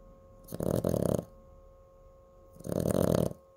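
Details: Pet Chihuahua named Cooper asleep and snoring. Two long, raspy, rumbling snores about two seconds apart, each with a slightly stuttering texture, against a steady low hum.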